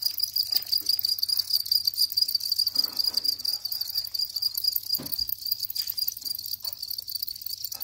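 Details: House cricket trilling continuously in rapid, uneven chirps at a high, thin, constant pitch, about two pulse groups a second, with a low background hum and occasional brief thuds.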